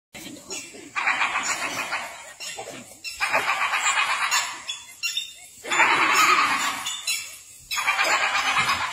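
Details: Hyenas laughing at a tiger: bursts of rapid, pulsed, giggling cackles, each lasting one to two seconds with short pauses between, about four outbursts in total.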